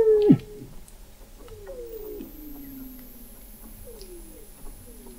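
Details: Weddell seals beneath Antarctic sea ice, McMurdo Sound, captured in November 2017 by a seafloor observatory 21 m below the ice: a sudden plunging tone, then a series of short stepped downward glides repeating, with faint clicks and a low hum.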